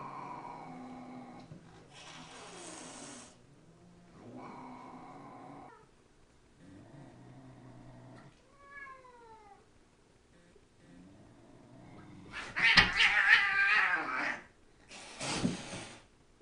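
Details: A cat, described by its owner as barking rather than meowing, gives loud, harsh, bark-like bursts between softer meowing sounds.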